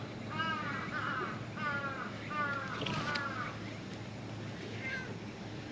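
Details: A stray cat under a truck talks back to the person approaching it. It gives a run of clear, wavering meows, four close together and then a softer one near the end, over low background hum.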